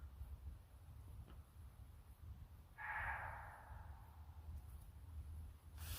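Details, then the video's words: In the dark at night in wooded country near Frankfurt, Germany, a deer gives one harsh, hoarse scream over a steady low rumble. "it's very dark but that sort of screaming noise was a deer"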